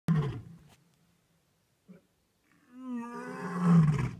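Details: Lions roaring at night at Talamati in Kruger National Park, South Africa: a deep low burst, a pause, then a rising moaning roar swelling toward the end.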